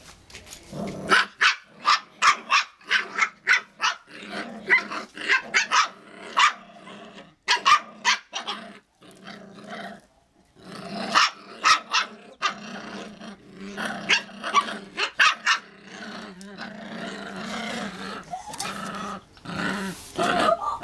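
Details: Icelandic Sheepdog puppies yapping and growling in quick bursts, short harsh barks repeated in rapid runs with brief pauses, high-pitched and noisy, several overlapping voices, indoors with little else heard.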